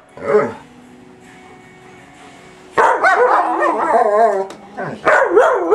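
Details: German Shepherd with a shepherd/husky mix attacking a vacuum: one sharp yelp, a quiet humming pause, then a long run of frantic overlapping barks and wavering whines.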